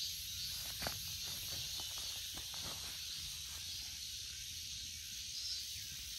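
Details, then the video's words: Cicada chorus giving a constant buzzing hiss, high and even, while a run of soft clicks and rustles, like footsteps, passes through the first half. "Cicada 매미"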